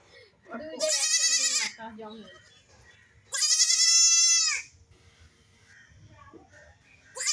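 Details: Baby goats playing and jumping, bleating: two loud, high, wavering bleats, the first near one second and the second near four seconds, with soft background noise between them.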